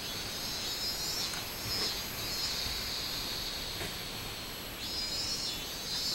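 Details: High, steady buzzing of a robust cicada recorded on 24 July 2016, its drone wavering gently in strength and fading slightly before swelling again near the end.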